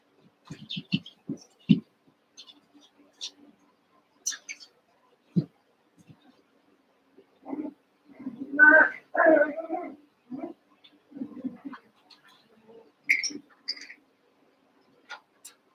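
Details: Cavalier King Charles Spaniel puppies, eight together after six from Daisy's litter joined Robin's two remaining pups, playing indoors near the end of their time with their carers; short whines and yelps in bursts, with scuffling, clicks and human voices.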